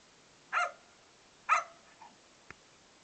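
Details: Beau, a male Australian Cattle Dog/English Setter mix foster dog, barking while playing: two short, sharp barks about a second apart, followed by a faint softer yelp and a brief click.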